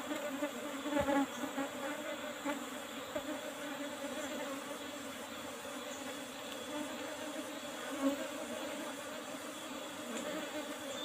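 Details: Asian honey bees (Apis cerana) buzzing continuously as honey is taken from an old-fashioned box hive topped with a used asbestos sheet; a sustained, level hum with a few soft knocks and handling sounds.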